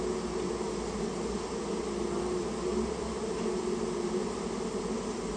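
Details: Japanese honey bee colony in a storehouse during removal, its combined buzzing a continuous dense drone with a brighter whine weaving in and out and a low hum beneath.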